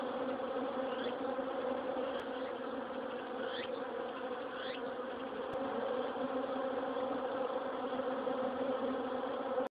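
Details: Honey bees leaving a hive that is covered by a wire-mesh hornet protector set up against hornets in autumn: a dense, continuous buzzing hum of many bees, with a few brief rising whines as single bees fly past.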